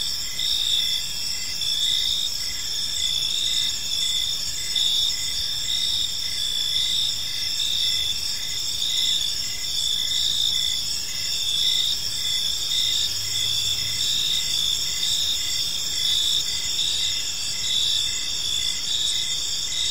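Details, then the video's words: Park crickets at evening produce an unbroken high, shimmering chorus of overlapping trills and fast chirps, steady in loudness throughout, with a brief low hum heard in the background. "Cricket Sounds in a Peaceful Park"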